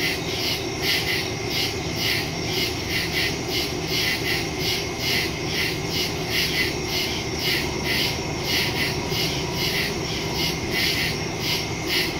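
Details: Woods at night on September 2, 2023: a chorus of crickets recorded on a Samsung Galaxy S22 Ultra with a Shure MV88+ microphone, shrill rhythmic chirps pulsing steadily above a faint continuous low drone.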